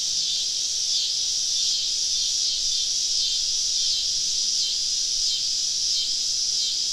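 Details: Many cicadas calling around a woodland campsite on a southern summer evening, forming a loud shrill drone with slow rhythmic swells roughly every second, a faint low hum underneath.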